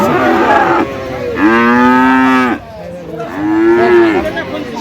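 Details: Friesian and crossbred bull calves at a cattle market in Aftabganj, Dinajpur: two loud drawn-out harmonic moos, each about a second long with a flat then falling tone, over steady market noise and distant voices.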